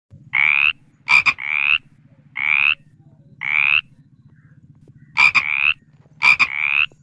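A frog repeats brief, reedy croaks that rise a little, some preceded by sharp double clicks. Beneath them runs a steady low, buzzy drone of other calling frogs.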